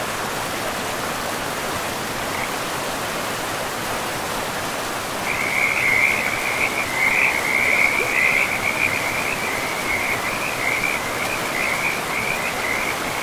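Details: Frogs by a river in a pristine, moss-covered forest; after a steady rushing-water hiss, a chorus of rapid, high, trilling croaks starts midway and repeats in quick pulses above the constant flow of the river.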